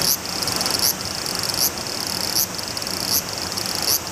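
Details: A large brown cicada (aburazemi) gives a continuous, high, frying sizzle with slight pulses about every three-quarters of a second while walking toward the camera.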